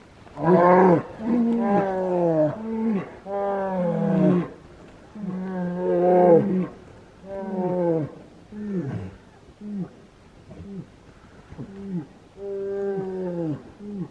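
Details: Brown bears in a fight, recorded in the wild in Finland, July 2018: a steady series of loud, harmonic, groaning roars, each about a second long with brief gaps, some falling in pitch, continuing throughout.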